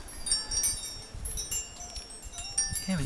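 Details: Bright tinkling wind chimes ring irregularly over soft low rumbling, with no animal voice.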